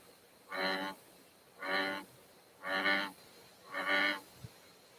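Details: An American bullfrog in Connecticut gives deep, buzzy, resonant droning notes, each about half a second long and roughly one per second, likened to a giant bumblebee or a distant cow's moo.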